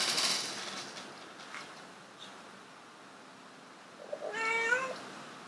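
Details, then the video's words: Domestic cats Bluey and Kage trying to mate: one long wavering meow late in the clip after a quiet stretch, preceded by a brief bright rustling burst at the start. "Cat Honeymoon In The Pyramid Try To Mating"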